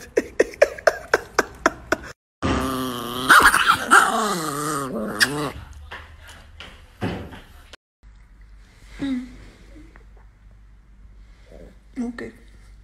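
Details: Chihuahua in a funny dog compilation, a quick run of sharp barks at about four per second, then growly, wavering vocal sounds, with quieter scattered noises near the end.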